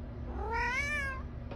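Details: Domestic cat giving a single drawn-out meow that rises then falls gently over about a second, clear and tonal, over a low indoor hum with a soft click at the end.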